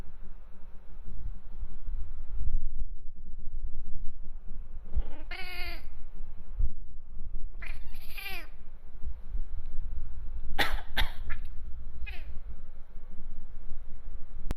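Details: Bengal cat, a male house cat, reacting to fake coughs with two drawn-out wavering meows, then a burst of short sharp chirping cries, over a steady low indoor hum.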